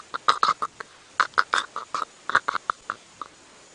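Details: Giraffe chewing an old bone (osteophagia) on a live safari drive in South Africa's greater Kruger area, afternoon of 10 August 2016, as winter approaches and forage nutrients run low; irregular dry crunching clicks and cracks, roughly one per second in short bursts.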